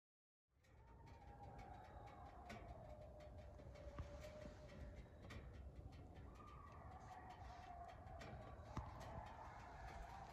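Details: A group of coyotes yips and howls on rural property, heard from a four-wheeler: a drawn-out, wavering howl slides slowly over a heavy low rumble of crackling.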